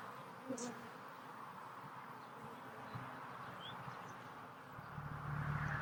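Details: Honey bees at a hive being re-queened from a split, with a new queen held in a cage; a steady low droning hum fills the clip, with a few faint brief higher notes and a slight swell in loudness near the end.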